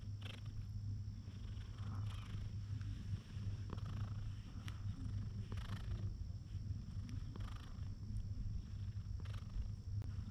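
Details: A calm cat lying in the sunshine purrs while being stroked. The deep, even throb runs unbroken throughout, with a brief dip near three seconds and soft scratchy rubbing sounds from the petting.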